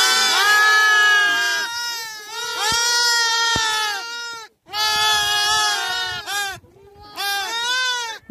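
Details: Newborn lambs kept together by herders on the Mongolian spring grassland, calling out to their mothers: a chorus of long, overlapping, quavering bleats in several bursts with brief pauses between them.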